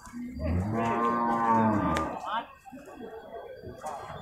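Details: Beef cattle at the Purwakarta livestock market in Indonesia on Monday, 15 July 2024: one low, drawn-out moo lasting about a second and a half, rising slightly then falling. People talk softly in the background afterwards.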